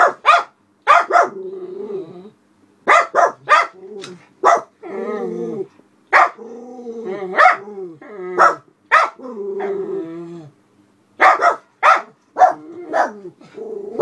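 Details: Black Miniature Poodles Alice and Charlie guarding the house from a window, reacting to a passer-by with another dog; clusters of sharp barks alternate with long wavering whines and growls, then more quick barks.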